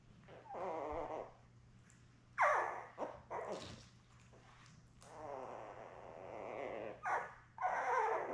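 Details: Newborn Labrador Retriever puppies, a litter of seven born May 24, 2021, with their mother Belle, filmed on a live puppy cam June 4. Repeated loud, wavering whines and squealing cries, some long and some short, over a steady low hum.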